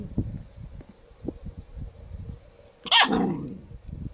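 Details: Miniature poodles at home in June 2013, as a black puppy born in April joins an older apricot mini poodle: one sharp, high yelping bark about three seconds in, amid soft rustling and low thumps.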